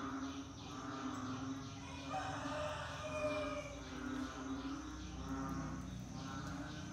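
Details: Several frogs calling together during the rainy season, with repeated low, nasal, mooing calls overlapping one another against a steady humming background.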